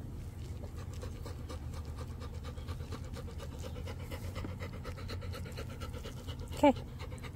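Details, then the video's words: A wet female dog eating corn on the cob, with steady, rapid, rhythmic panting and chewing throughout and a low background rumble; a soft human voice gives brief gentle praise near the end. "Cutest Wet Dog Eats Corn On The Cob"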